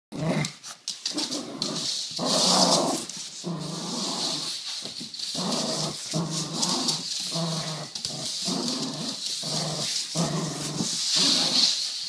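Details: A dog vocalizing in a small room, sounding like a Honda drifting: rough, growly voiced bursts about half a second to a second long, repeated in quick succession, over a steady high hiss.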